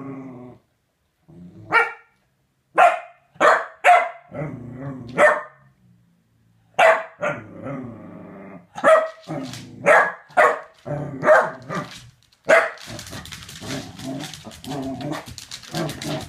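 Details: A corgi, Chunk E. Sausage, receiving a femur bone, barks in uneven bursts mixed with low grumbling growls, with a hissing rustle under the final seconds.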